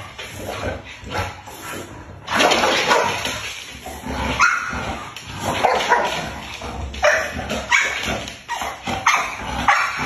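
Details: Chow Chow puppies giving short, bursty yipping barks at irregular intervals, some rising in pitch, over a constant hiss and rustling handling noise.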